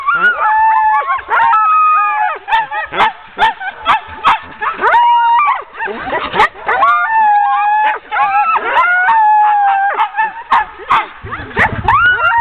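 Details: Sled dogs, ten in the team, bark and yelp eagerly while being hooked up for a training run, October 16, 2010. Rapid, irregular bursts of high yips alternate with longer wavering whines, barely pausing throughout.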